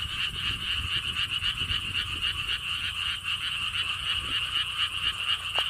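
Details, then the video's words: Frog chorus at Siheung's Lotus Theme Park, Korea, near a stone wall path: steady, fast pulsed croaking repeated around four times a second, forming a continuous trilling wall of sound with faint low background noise. "개구리 소리"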